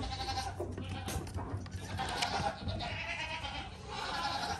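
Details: Young goat kid bleating in a few drawn-out, shaky cries, with low rumbling background noise throughout.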